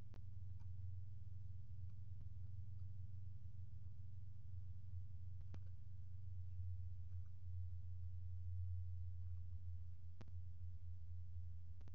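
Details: A low, steady mechanical rumble fills the recording, broken only by a few faint clicks, and no animal voice stands out.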